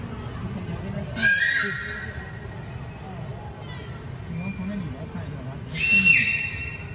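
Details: A beluga whale playing with its toys gives two high, steady whistles a few seconds apart over a low watery rumble.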